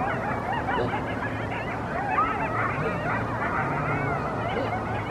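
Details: A group of coyotes chorus before dawn in NE Murrieta, below Palomar Mountain, with overlapping wavering howls and high yips, while a guardian dog gives a low bass line.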